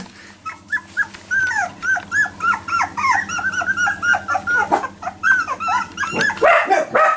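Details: Four-week-old Jack Russell Terrier puppies, which began walking only in the last four days, whimper together indoors: a steady chorus of high, squeaky yelps and whines, nearly four per second, growing louder and rougher toward the end.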